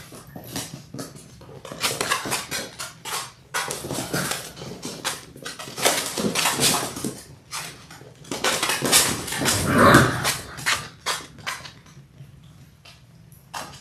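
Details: Six-week-old Labrador Retriever puppies, a litter of six born January 18, 2022, indoors on a live puppy cam in late February; short broadband yelps and squeals in irregular bursts, with scuffling, clattering and a tonal whine near the tenth second.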